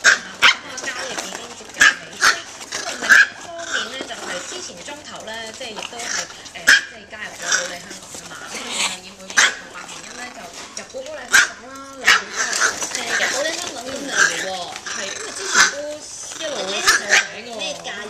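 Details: Excitable micro teacup poodle family from Alabama, living in Hong Kong, going crazy; repeated sharp, high-pitched yaps scattered irregularly across the stretch, mixed with continuous human conversation.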